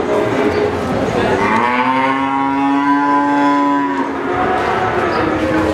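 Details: A single cow's long, steady, deep moo at the Pasar Sapi Pon cattle market in Ambarawa, Semarang, ahead of 2021, held for about two seconds and then fading, over a background murmur of people and market bustle.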